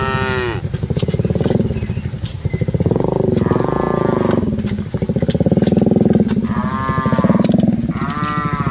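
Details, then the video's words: Cattle mooing while dozens are herded: overlapping low droning moos and several shorter higher calls that bend downward, repeated through the recording, with a faint engine-like rumble underneath. "Aktivitas Mengiring Puluhan Sapi Lembu Lucu Suara Moo - Suara Sapi Moo Yang Lucu"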